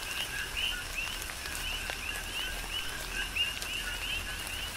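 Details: Coqui frogs calling in a tropical rain shower on the Big Island of Hawaii: scattered high, chirped two-part notes that sweep upward, spaced irregularly over steady rain patter and a soft hiss of falling water.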